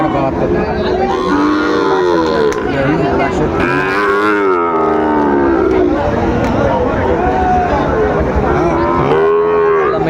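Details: Sahiwal breed bull calves at a cattle market, a Chattogram farmer buying, dated 17 March 2025; many overlapping moos, some bellowing and arched, others shorter, amid loud crowd noise and men haggling over prices.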